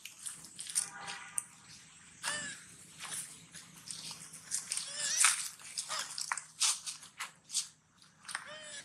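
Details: Sweetpea, a hungry baby monkey searching for its mother, lets out several sad, high, arching wails spread through the clip. Constant munching and biting noises from eating watermelon run underneath.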